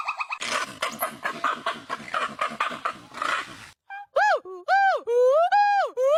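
A monkey gives rapid harsh chattering, then clear wailing calls that rise and fall in pitch.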